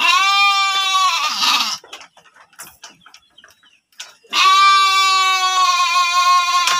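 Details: Breeding sheep in a pen at a farm in Subang, West Java, Indonesia: a loud quavering bleat, a pause of faint knocks and rustling, then a second long harmonic bleat.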